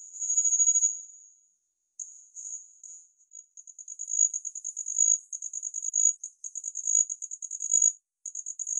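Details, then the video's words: Homoeoxipha nigripes, a tiny red-bodied cricket about 6 mm long, singing high, thin trills: an opening sustained buzz, then stuttering pulse groups that merge into rapid, continuous trilled runs broken by brief pauses. "ネッタイヒバリ鳴き声 / Homoeoxipha nigripes"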